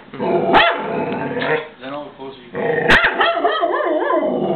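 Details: Dog named Blodie freaking out and barking at the Goodyear blimp; loud harsh barks and growling yelps come in two bursts, the second longer and wavering, with a person's voice mixed in.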